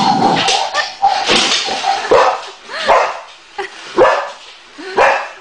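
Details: Boxer dog barking at a Dalek toy: sharp barks spaced roughly a second apart, each with a brief downward-sweeping yelp, over a steady electronic hum and some voices.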